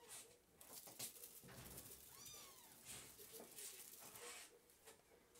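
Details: A 2–7-week-old blue British Shorthair male kitten gives a single thin, high mew that rises and falls.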